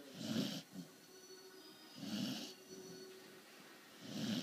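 A sleeping corgi snores in slow, rasping breaths about every two seconds.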